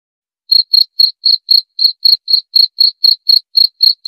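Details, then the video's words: Cricket chirping after a brief silence: short, high, pure chirps repeated steadily about four times a second, each a tight burst of pulses, with no other sounds. "Suara Jangkrik"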